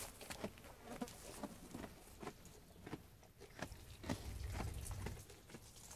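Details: Sheep feeding on food: sharp, crisp crunches come roughly two per second in an uneven rhythm, with a brief low rumble near the end.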